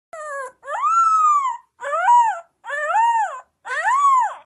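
A Rottweiler puppy gives a series of high, wavering howls, each rising then falling in pitch. The cries come about once a second with brief gaps between them, clear and strong throughout.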